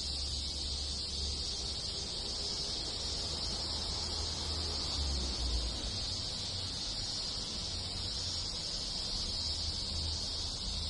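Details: Many cicadas sing together in the countryside of rural Japan in summer, a steady, dense, high hiss that never pauses, with other insects in the village and a soft low rumble underneath.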